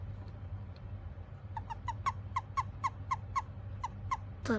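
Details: An Eastern Japanese common toad, found in a park on a rainy day, gives a rapid series of short, chirping clicks when picked up, a release call.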